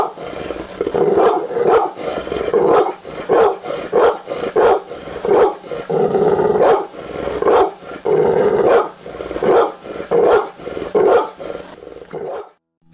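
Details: An angry pit bull barks in rough, deep bursts, several per second, with a growling edge.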